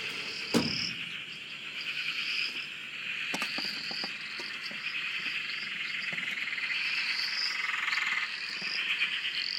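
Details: Dense frog chorus on a dam in Australia, heard from a shack: continuous pulsed trilling and repeated rising whistled notes, several sharp knocks or clicks early and midway.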